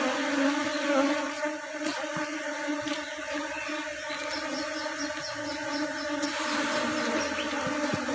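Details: Honey bees in a kept colony during work to reduce the drones (male bees) and keep the colony from splitting; a steady, droning hum with layered harmonic tones runs throughout, with faint ticks and clicks above it.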